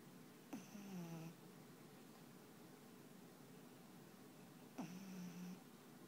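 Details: Sleeping black pug Panpan gives two snores about four seconds apart, each a sharp intake followed by a droning, slightly falling low rattle lasting under a second, in a quiet room.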